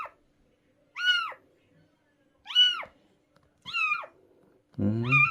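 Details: Rescued stray cat giving four short, high arched meows about a second apart in a quiet indoor room, the last one louder and rougher with a low growly edge.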